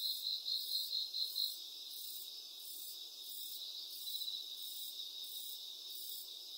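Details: Cricket chirping: a steady high ringing trill under bursts of rapid, evenly spaced pulsed chirps, loudest in the first second and a half.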